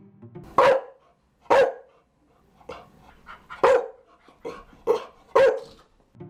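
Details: A Chow Chow, a quiet breed and wary watchdog that usually barks only for a serious reason, gives a series of deep, gruff barks spaced about a second apart.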